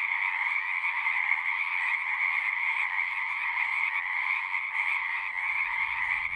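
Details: Chorus of many singing frogs, a continuous rattling drone of overlapping calls holding two bright pitch bands, level and unbroken throughout, with a faint low rumble near the end.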